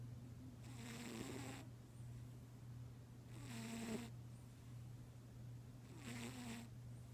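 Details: A pet cat snoring in his sleep indoors; three soft, breathy rasping snores spaced about two and a half seconds apart, over a steady low hum.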